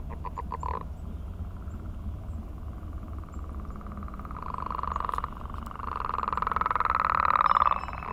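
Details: Frogs calling on a millrace in the morning during mating season, many singing together; long pulsed, buzzy trills swell louder toward the end, with a short burst of pulsed calls at the start.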